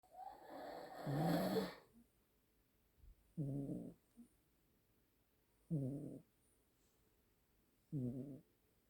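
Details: Two Siamese cat siblings snoring together as a duet. Low, throaty snores with a voiced, harmonic buzz come in half-second bursts about every two to two and a half seconds, after a louder, noisier opening rasp, in a quiet room.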